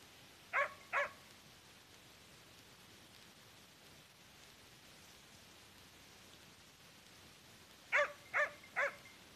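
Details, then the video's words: Hunting dog during a wild boar hunt, holding a boar at bay: distant barks, two close together early, then a series of three after a long pause, over steady broadband background noise. "Caccia al cinghiale,bruno al fermo su cinghiale!"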